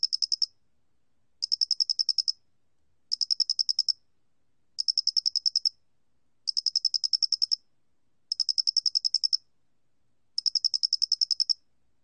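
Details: High, pulsed chirping of the Loxoblemmus doenitzi cricket, from the National Institute of Biological Resources in 2020: regular bursts of rapid ticks about one second long, recurring every one and a half seconds in a silent setting.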